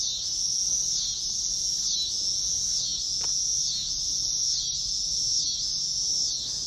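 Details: Cicada, a Midwest singing insect, gives an unbroken, shrill, sizzling buzz that swells and dips in gentle pulses about once a second, with one faint click partway through; it can sound similar to Allard's ground cricket.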